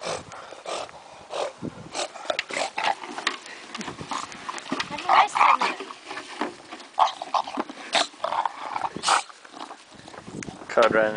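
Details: Conrad the bulldog, in his bucket, makes a long run of short, gruff grunts and snorting growls at an irregular pace, with a louder, rising rumble near the end.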